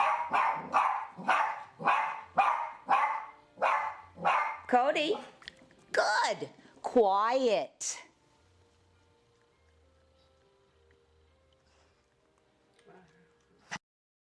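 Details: Seven-year-old female Coton de Tulear, reactive to unfamiliar dogs and to hallway noise and door knocking in a high-rise condo, barking before behavior modification: about a dozen sharp barks in a run, rising into higher yelping barks, then quiet with faint background sounds.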